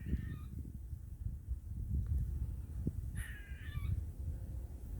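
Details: A squirrel in a tree around 7:50 am, calling for minutes and thought to want pecans, gives two short bursts of harsh, squealing calls that slide downward, over a low rumble.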